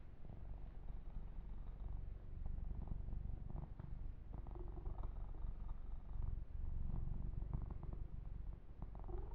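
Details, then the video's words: A massaged pet kitten named Yumak purring ear to ear; a steady, low vibrating rumble dominates throughout, with faint crackles of fur being stroked and groomed. "Kitten Massage - Perfect Sleep Helper Ear to Ear Purring"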